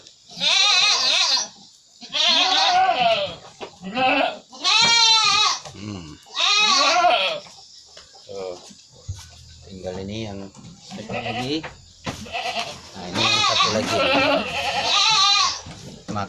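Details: Goats said to be sick with flu and cough, filmed while being treated with a homemade herbal remedy of ginger, kencur, turmeric and palm sugar: repeated loud, wavering, strained bleats every second or two, with a man speaking in between.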